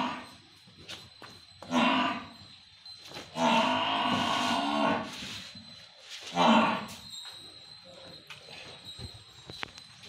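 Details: Pure Murrah buffalo from Haryana, a dairy animal with a 22 kg milk record, gives a drawn-out, low, harmonic moo lasting about two seconds, framed by shorter lowing calls, with scattered clicks and thumps of farm activity.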